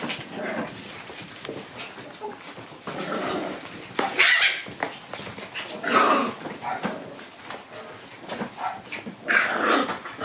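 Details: On 27 January, Shiba Inu puppies play while soaking up the sun, letting out scattered thin, high squeals and whiny yelps in short bursts, with shuffling noises and quiet gaps in between.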